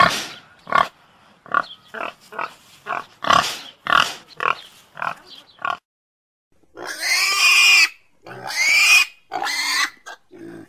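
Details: Domestic pig giving a run of short, clipped grunts spaced roughly every half second for about six seconds, then after a brief silence three loud, harsh, drawn-out squeals.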